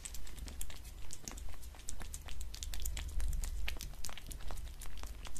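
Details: Pet cat eating dried fish, creamy treats and cat food on a glass table indoors: crisp crunching chews in quick bursts, roughly two per second, with a low steady hum underneath.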